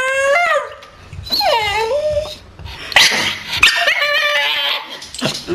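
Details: Staffordshire Bull Terrier making strange vocal noises: high whimpering whines that slide downward then level off, followed by louder yelping, warbling howl-like cries in quick succession.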